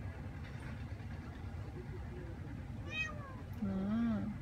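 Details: Ragdoll cat Ao, seven months old and neutered, out walking through a newly occupied apartment complex in Korea; two short arched meows, the second longer and wavering, over steady low traffic rumble with a person's voice beneath.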